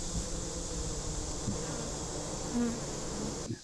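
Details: Honey bees caught in a swarm trap set up at the start of summer, about to be moved to a permanent hive; a steady dense buzzing of many bees with a broad low hum and a high hiss throughout.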